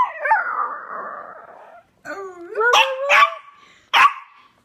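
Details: Chihuahua, a pet dog, howling: a noisy whining start, then a short rising tonal howl followed by sharp barks.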